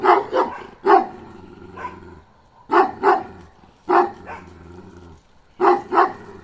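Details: Balyoz, a young male Kangal dog of 15 months, gives loud barks in pairs. The doubled barks sound about every one and a half seconds, with short quiet gaps between them.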